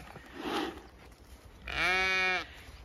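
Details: Zwartbles ewe with newborn twin lambs, born unexpectedly in the wrong field on a regenerative farm in County Kilkenny, Ireland, bleats once: a steady, strongly harmonic, slightly nasal call lasting under a second, after a softer murmur and faint background sounds.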